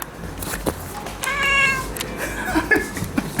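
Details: Russian Blue cat named Rei, a neutered male born 4 October 2016, kept indoors and seeing a fly for the first time, gives a short wavering meow with a clear stacked tone, broken by clicks and faint household noise.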